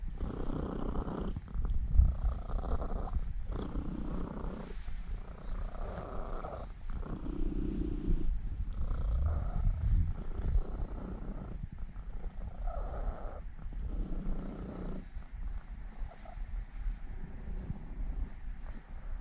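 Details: Elf, a seven-year-old female Norwegian Forest Cat, purrs while kneading before sleep. Her low, even rumble pulses in long breathing cycles of about two seconds, quieter and steady across the whole stretch.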